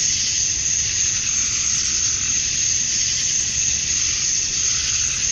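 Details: Male cicadas buzzing at summer dusk in Georgia, USA, to attract females. A short stretch of constant, high, hissing drone with faint, loosely regular pulsing.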